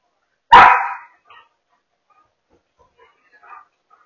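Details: One sharp, loud bark from a German Shepherd puppy playing indoors around a couch, then near silence with a few faint soft sounds.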